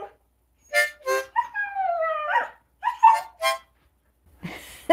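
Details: Siberian Husky howling on a live stream when asked to sing, as a puppy learns to howl from older sisters; short yelping notes, then a long falling tonal howl, more yips, and a person's voice at the end.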